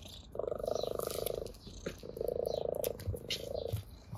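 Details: Ginger tabby playing with grass and purring contentedly; two strong pulsed purr phases over a second each, then a weaker third, with crisp rustling clicks between.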